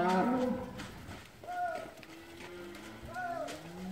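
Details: Limousin cows in the Hunzedal during the winter move from polder to deep-litter barn, as the stream-valley water rises; a herd mooing with overlapping calls, some short and arched, others long and low, in close succession.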